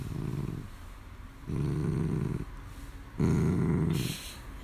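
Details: A Dachshund growls while tugging and playing with a plush toy indoors, giving three low, rumbling growl bursts of about a second each, separated by short pauses, with faint rustling between them.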